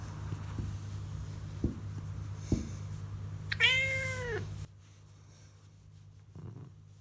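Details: Pet cat pleased at being stroked while basking in the sun; a single rising-falling meow of about one second, preceded by soft taps and followed by near silence and a faint thump.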